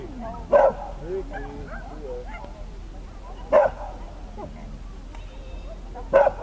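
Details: A Dachshund at an agility trial in Trier in 2012 gives three short, sharp barks about every three seconds over quiet talking.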